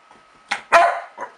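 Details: Young female dog, 8.5 months old, barking at another dog while trying to get him to play: one short bark, then a louder, longer bark, then a softer short one.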